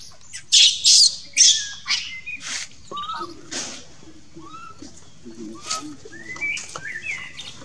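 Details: Monkey Lucie crying for its mother. It opens with several loud, harsh, shrill screams in quick succession, then settles into softer whistled whimpers that bend up and fall, repeated irregularly about every second.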